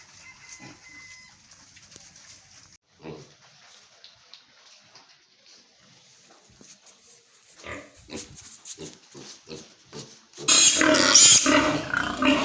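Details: Pigs kept on a piggery farm: quiet scattered grunts at first, then a denser run of short grunting bursts, ending in a loud, harsh, noisy blast.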